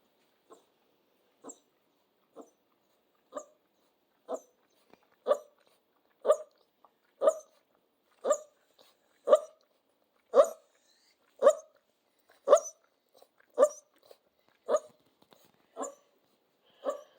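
Central Asian Shepherd puppies give short, sharp yelps about once a second, growing steadily louder.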